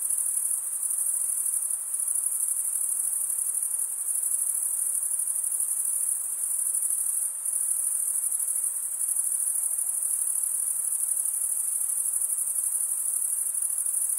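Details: A chorus of male crickets stridulates in a steady, piercing, high trill. A brief softening comes midway before the unbroken shimmer resumes over a faint background hiss.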